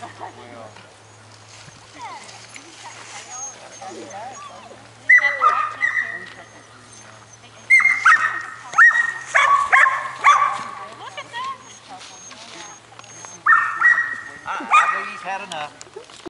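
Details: Young Border Collie, four and a half months old, working: several bursts of high, yelping barks and whines in clusters, with quieter stretches between and a steady low hum underneath.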